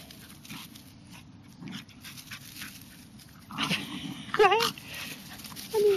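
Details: Havanese dogs at play, a silver three-year-old mother with two eight-month-old pups chasing her: quiet rustling, then a few short high whiny yelps near the end, with a person's voice nearby.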